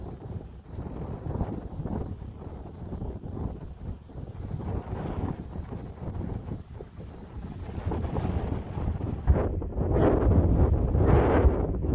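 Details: Outdoor daytime recording of strong wind buffeting the microphone with low rumbling gusts and broadband noise throughout; no clear animal voice stands out.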